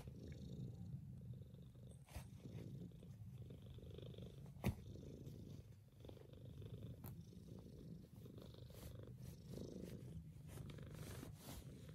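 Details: A Maine Coon cat purrs in a deep, steady, continuous rumble with a few soft clicks and rustles while waking its owners up.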